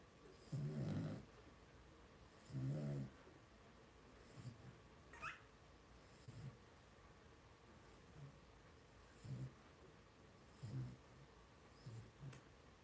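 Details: Blenheim Cavalier King Charles Spaniel puppies, two weeks old, one of a litter of five resting in a home puppy pen: two stronger low grunts followed by short, irregular soft grunts, with one thin high squeak midway.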